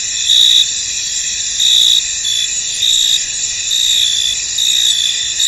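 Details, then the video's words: Many crickets chirp in a fog-covered field, their shrill, unbroken wall of sound swelling into brighter trills roughly every second or so. "Tranquil Cricket Sounds In An Misty Field"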